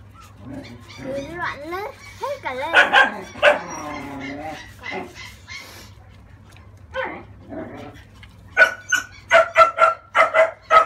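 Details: 30-day-old French Bulldog puppy being bathed to wash off crusted scalp build-up, giving wavering, whiny cries under Vietnamese speech early on, then a quick run of short, high, sharp yelps near the end.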